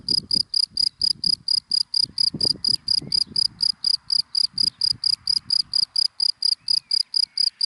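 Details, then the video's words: In dry grass by day, a cricket chirps in a quick, regular pulse of sharp, high notes, about four per second, over faint low rumbling from distant cars. "Sound of Cricket in Dry Grass in the Daytime"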